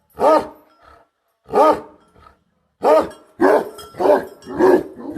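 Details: Bhote Kukur livestock guardian dog giving heavy, throaty barks, three spaced ones, then three in quicker succession at the end, each with a rough growling edge.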